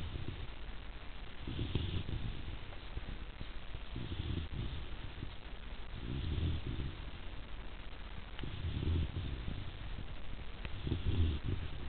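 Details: Sleeping Rhodesian Ridgeback puppy Zuri, nearly three months old, gives five slow, throaty snores spaced about two and a half seconds apart, deep rumbles with soft hissy tops against a quiet background.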